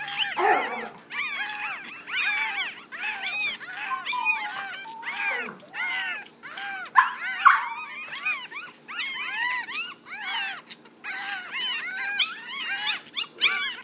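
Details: A litter of six Yorkshire Terrier puppies, one week old, cry together in a steady stream of short, thin, arching squeals and whimpers, with brief lulls between dense chorus-like bursts.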